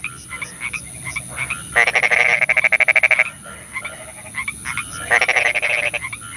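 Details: Frogs at night in the rain: a loud rapid rattling croak lasting about one and a half seconds, a second shorter burst later, softer croaks from others around, and steady rain hiss.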